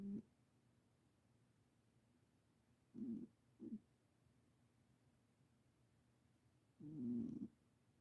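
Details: Ten-year-old Himalayan cat, just adopted, snoring indoors: short low rasping snores at irregular intervals, at about zero, three and seven seconds, otherwise quiet.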